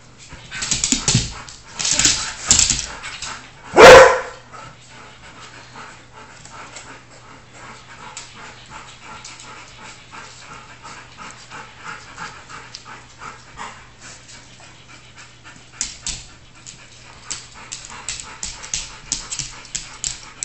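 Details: Old English Sheepdogs at home during playtime; a few loud, sharp barks in the first four seconds, then a long stretch of quiet scuffling and soft clicking noises, with light tapping sounds returning near the end.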